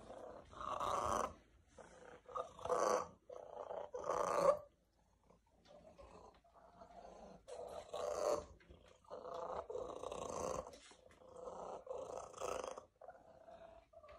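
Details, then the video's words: Female domestic cat, indoors, loves being around people and purrs so much she often starts to cough; loud rasping purr in rhythmic breath-linked bursts roughly every one to one and a half seconds, with a brief pause near five seconds. "The Kitty With The Loudest Purr Ever!"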